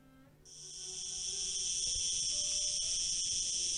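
A cicada sings in a loud, steady, high-pitched buzz that starts abruptly and holds without letup. The drone stays even and shrill, with only slight dips in loudness.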